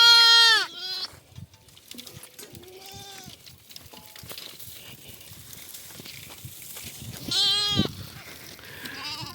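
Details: Lambs running about on a farm, with a mother returning: two loud bleats open and close the stretch, harmonic and wavering, with quieter bleats between, plus background music and a man speaking Telugu.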